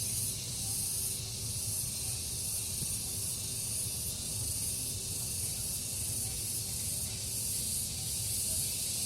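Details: Morning chorus of cicadas in a garden, the insects calling alternately and in unison; a dense, continuous high hissing buzz with gentle pulsing swells and a soft low background hum.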